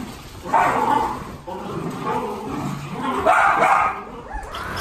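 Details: Miniature Dachshund at a breeder's home giving two loud yappy barks, one near the start and a longer one later, over a busy indoor background of voices and household noise.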